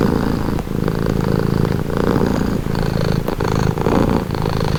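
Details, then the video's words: Cat purring close by, offered as a calming sound; low rattling rumble alternating between inhale and exhale phases about every second, with a faint tick near the end. "Purring cat | Calming Relaxing Nature Sound"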